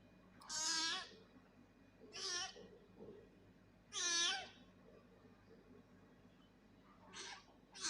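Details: An angry cat gives four harsh, nasal meows a second or more apart, the first and third loudest and longest, the last short and quieter, with quiet background hum between cries.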